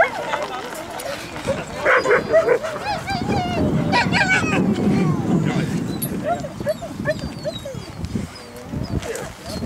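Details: Siberian Huskies at Huskycamp 2013 on a Saturday morning give wavering, whining howls and short yips that overlap one another. People talk throughout and there is steady background chatter.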